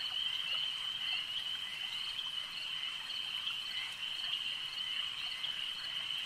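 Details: Crowded chorus of frogs at a lake, steady high trilling sustained without pause, occasional brief louder notes poking above the even ringing wall of sound.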